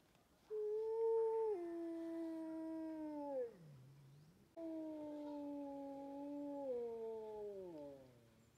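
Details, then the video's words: Wolves howling: two long, clear, tonal howls, each held level for a few seconds and then sliding downward at the end, separated by a short pause, over a quiet background. "le chant des Loups"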